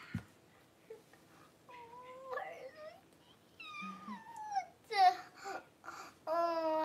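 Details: Newborn Cavalier King Charles Spaniel puppies, born indoors to first-time mother Paris during whelping, give high whining squeals in short bursts, each cry bending up and down, ending in a long, loud, sustained wail.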